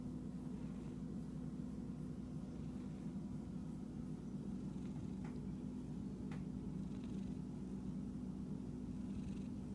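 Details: Continuous low purring from an itchy pet cat across ten seconds, with a few sharp clicks or scratches standing out around the fifth and sixth seconds.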